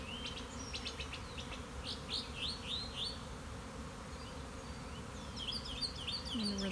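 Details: Honey bees swarming from a keeper's own hive on March 26, 2021: a thick, even low buzz throughout, with quick rising bird chirps over the first half and more twittering near the end.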